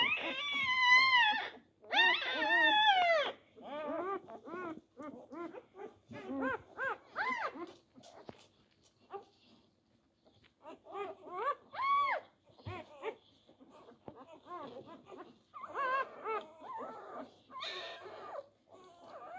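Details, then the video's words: Labrador Retriever pups on their fourth day fight for teats: loud wavering cries open the scene, followed by a scattered series of short squeaks and whimpers that fade and rise irregularly. "Die Labrador Welpen am Tag 4. Kampf um die Zitzen."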